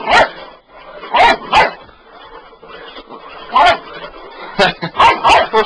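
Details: Bull Terrier puppy, indoors, going wild at a sweeper it wants to attack: short, sharp barks in small clusters, about six over several seconds, with a man talking and encouraging it in between.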